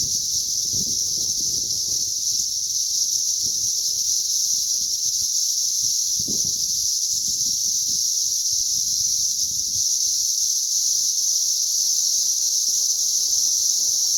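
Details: Cicada emergence on May 20th, 2034: a loud, even, high buzzing wall of sound from countless cicadas runs without pause, with faint low thumps and rustling below.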